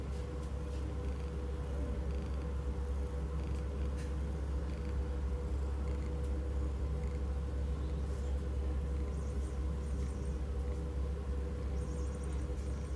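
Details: Tiger, a cat awaiting rehoming at the Blue Cross Cambridge Rehoming centre, purrs in a steady, deep, continuous rumble with a fine pulsing texture, held without a break, with faint high ticks and whines in the background.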